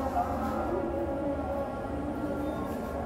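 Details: Steady low hum and murmur, like vehicle or train noise with faint voices, and no animal call heard.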